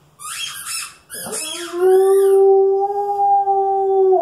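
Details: A female Alaskan Malamute plays with her favourite squeaky toy, her "baby". Shrill squeaky-toy squeals set off a long, steady, mid-pitched howl held for over two seconds, her voice sounding a little hoarse.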